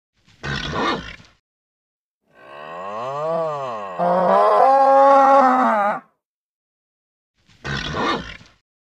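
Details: Nervous bull giving a long, wavering bellow that swells and then holds steady, framed by short rough snorting grunts before and after.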